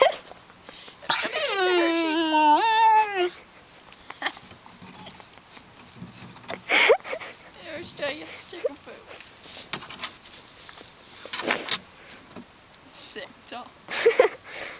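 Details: Labrador Retriever puppy making a funny, weird noise: a drawn-out, wavering whine-howl lasting about two seconds near the start, followed by people talking and laughing, one asking whether she is barking at the camera.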